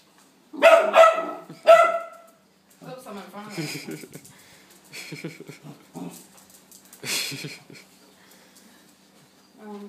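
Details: Charley, a pet dog, barks frantically on first seeing a sweeper: loud harsh barks in a quick burst at the start, then softer whining yelps while a person speaks calmly.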